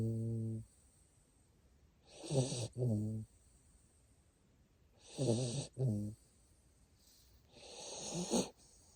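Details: Sleeping Siberian Husky puppy named Asiri, a female kept as a family pet in Japan, snoring: slow raspy breaths come in pairs of rough, buzzing pulses roughly every three seconds, separated by quiet pauses.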